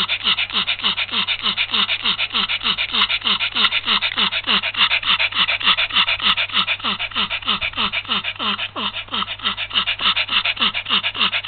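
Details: Heat-stricken Yorkshire Terrier, recorded in February 2015, breathing in rapid, steady, harsh pants of about 200 per minute. A thin descending whimper rides on every breath, with no other sounds.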